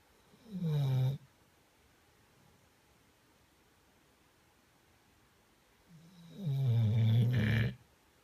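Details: Pet dog asleep, snoring in a quiet room: a short rasping low snore, then after about five seconds of silence a longer, louder drawn-out snore ending in a breathy rush.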